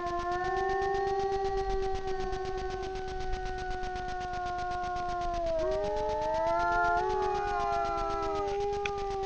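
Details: Two grey wolves, a pair, howl together at night before a camera trap in the Frýdlantsko region, Czech Republic: long steady tones, one voice sliding down and bending as the other rises to overlap it, over faint ticking.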